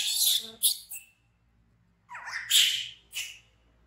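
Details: Baby monkey BEAN, an orphaned infant rescued from the jungle near a village, screams in fright: two harsh, hissing bursts, one brief and one longer, separated by a second of silence, recorded indoors.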